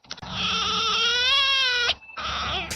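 A red fox gives a harsh, drawn-out wailing call lasting almost two seconds, rising slightly, then a shorter second cry after a brief pause.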